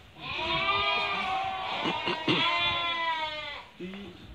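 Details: Merino sheep from Hungary, shown while a buyer from Turkey makes a selection: several long, wavering bleats overlap loudly, with brief human voices and shuffling in the background, a short low call near the end.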